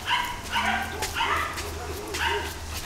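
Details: Kuvasz at the Kuvaszok kennel in Brazil, home to the dogs Társ, Anni, Ana and Juca, giving loud, rough barks in a run of four, roughly half a second apart, over a low steady hum.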